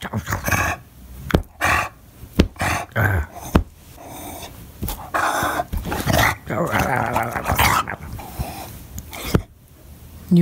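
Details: English Bulldog pup barking and crying in a fit when nobody plays with him, his voice likened to an Ewok: loud, harsh bursts of barks and throaty grunts in uneven clusters, with quieter gaps and faint human voices between.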